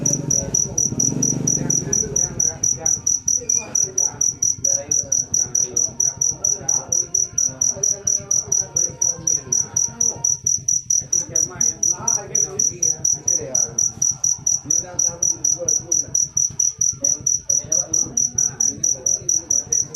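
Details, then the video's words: Jangkrik manis cricket giving a long, unbroken series of rapid, high-pitched chirps at an even pace, while faint voices and low rumbling noise continue in the background throughout. "Full suara Jangkrik manis. Suara merdu"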